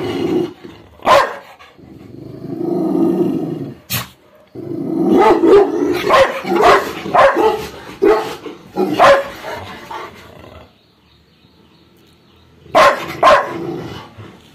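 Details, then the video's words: Labrador Retriever angrily guarding: a low growl cut by an isolated bark, then a dense run of loud, rough barks, a quiet pause, and a final pair of barks. "When Aggressive Fatty Labrador Gets Angry"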